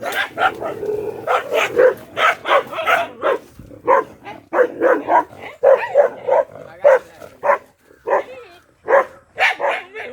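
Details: Agitated black Bhotiya dog barking hard, rapid harsh barks in uneven bursts with a few short gaps, a voice faintly behind them.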